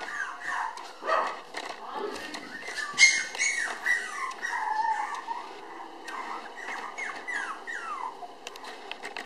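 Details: Red female Toy Poodle puppy, born 24 May, filmed 30 June at 700 g, giving thin, high whimpers and squeaky whines in short irregular bursts, some sliding down in pitch, about every two seconds.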